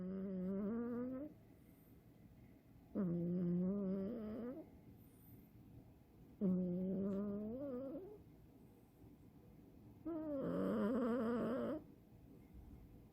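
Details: Chirol, a male Scottish Fold cat born on 5 May, snores in his sleep like a little old man indoors: four long droning, tonal snores, each about a second and a half, repeating roughly every three seconds with quiet breaths between.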